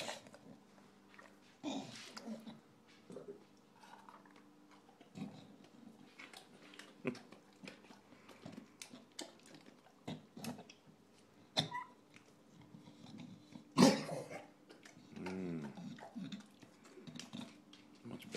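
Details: Recently adopted English bulldog Shaft at dinner indoors, eating with scattered crunchy bites and wet smacking clicks, occasional snuffling breaths, a loud clatter near the end, and quiet gaps between chews.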